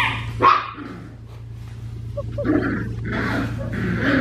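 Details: Four-week-old black tri female Australian Shepherd puppy giving a sharp, abrupt yip-bark early on, then softer whiny yelps and squeaks, with a constant low hum underneath.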